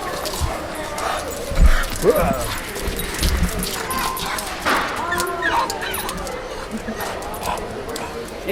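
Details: Dog in a pet store in winter, one of two dogs, Bart and Kipper, brought along to buy a coat; several high, rising whining yelps and whimpers break through steady chatter of people and shop background noise.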